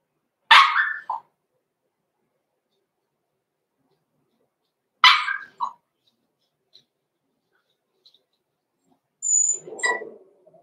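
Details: Indoor pen with six-week-old blenheim Cavalier King Charles Spaniel puppies born November 14, 2022; two sharp barks about four seconds apart, each followed by a short yelp, then a high squeak and a whiny grumble.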